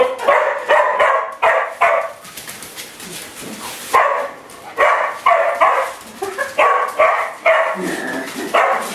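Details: Household dogs, one a Doberman, mad at a broom while being played with; rapid runs of loud barks, several per second, broken by a brief scraping lull, then more barking with a lower growly bark near the end.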